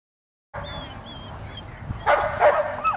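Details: Giant Schnauzer giving a short burst of three quick, rough barks near the end after a quiet lead-in, with faint background hiss.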